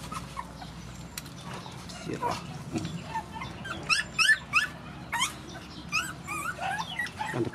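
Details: Rescued mother dogs and puppies at feeding make a rapid series of short, high yelping whimpers, several per second in the second half, over background voices and shuffling.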